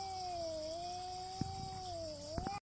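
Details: Cat in a standoff fight with another cat, giving one continuous low wavering yowl that dips and rises again over nearly three seconds, with a few faint clicks underneath.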